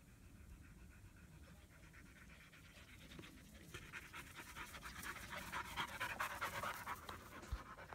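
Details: German Shepherd puppies, a young female and her half-brother Psycho, tired after their first play session together in Florida in 2016. Quick, steady panting breaths grow louder and harsher after the midpoint.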